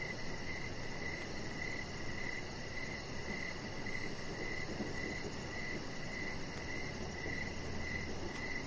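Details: Evening crickets near a deck with decoration lights, chirping in a regular, even series, roughly two pulses a second. A thin, rapid, very high ticking runs above it, with a broad low background hiss.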